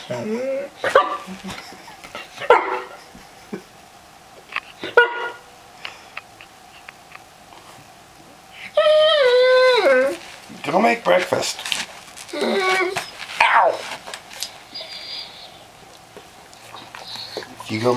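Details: A Weimaraner yips, barks and lets out a long falling whine in the morning, demanding attention to get its owner out of bed.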